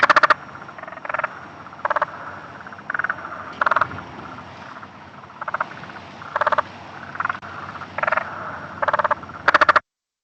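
Several spotted marsh frogs call in turn, each giving a short burst of fast clicking pulses that sounds like a toy machine gun. These rattling bursts are the males' mating call.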